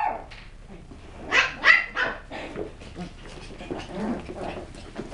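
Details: West Highland White Terrier puppies doing tricks and threats, yapping in a rapid jumble of overlapping high barks, louder twice early on, then a steady busy chorus of smaller barks.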